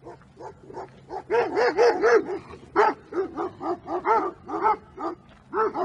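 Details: Two-year-old unneutered male American Staffordshire Terrier in Milan, Italy, overexcited and dominant, barks loudly in quick bursts: about fourteen sharp, harmonic, arching barks, some clustered in rapid runs, others spaced roughly half a second apart, over a faint low hum.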